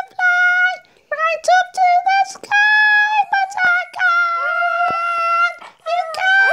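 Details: Two dogs howl together in long, steady, high-pitched notes that step up and down with brief breaks.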